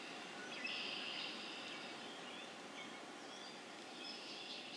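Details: Spring peepers in Harvard, Massachusetts on April 27, 2011, a quieter stretch of the chorus: a constant high-pitched hum of distant peeps with one louder burst of calling near the start and scattered short notes.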